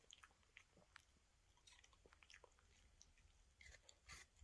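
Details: A Toy Terrier dog, a female, bites into an apple. The crunches are soft and scattered and come at a low level, with a louder burst of crisp crunching near the end, in a quiet room.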